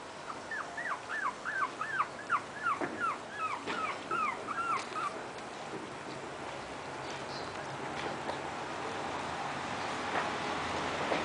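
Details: Puppies five weeks and two days old, recorded on 13 April 2010, give a quick run of high, thin whimpering yips that rise and fall in pitch for about five seconds, then fade into steady background hiss.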